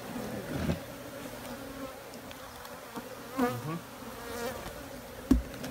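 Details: Honey bees humming in a steady, droning buzz with a low, even tone and faint wavering overtones, broken by a few soft knocks and thumps.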